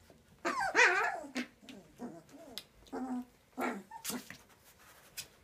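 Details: Transylvanian Hound puppies, 19 days old, giving a run of short harmonic whimpers and yelps with curving, wavering pitch. Bursts come in uneven clusters across a few seconds, with brief quiet gaps and a few scratchy noises between.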